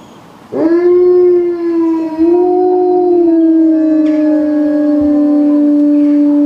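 A wolf gives a long, steady howl that swells briefly and then holds a level, mournful tone.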